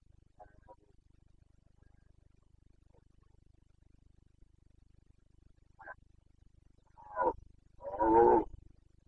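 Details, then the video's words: Carpathian red deer stag in the Bucovina mountains during the rut, 29 September 2022. A steady low hum runs beneath faint short calls; near the end, two rough roars build, the last loud and raspy. "Boncănit / Carpathian stag Breeding season"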